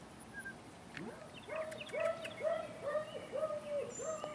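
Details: Import German Shepherd pups, girls of a Fanto x Kappa litter whelped May 17th, 2016, yelping in a rapid series of about seven arched, whining notes roughly every half second, with birds twittering behind.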